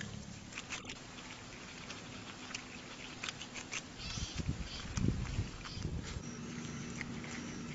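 A groundhog chewing, with soft irregular crunching and smacking over a low background hum.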